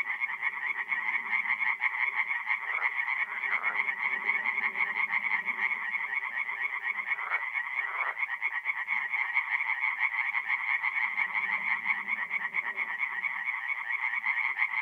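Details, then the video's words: Many tree frogs calling together at a forest pond by night, mid-April in North-East Italy; a steady wall of quick rasping pulses, with quieter deeper croaks rising and fading in the background. "relaxing forest pond by night with singing tree frogs"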